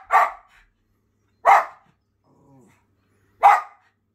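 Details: A Schipperke barks at birds to chase them off his property, giving three sharp, loud single barks spaced about one and a half to two seconds apart, with a faint low murmur between them.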